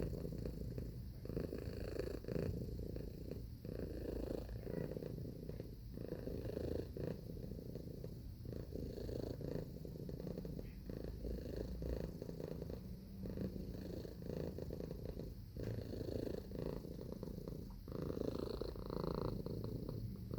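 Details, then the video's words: Domestic cat purring steadily, a low continuous rumble with soft rhythmic pulses of breathing swelling and fading throughout, no other sounds. "Purring Cat Sound Effect"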